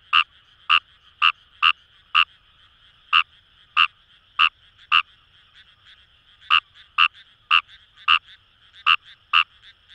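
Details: Fejervarya kawamurai in rice paddies at Itoshima, Fukuoka Prefecture: crisp, rasping croaks in irregular clusters with a gap midway, about nineteen notes in ten seconds, over a steady low chorus of other calling frogs.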